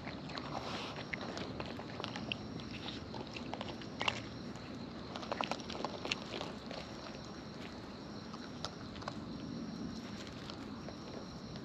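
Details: Wild raccoons eating close up, with natural chewing sounds: a steady run of soft, irregular crunching and clicking bites over a low, even background hiss, with a few sharper snaps standing out.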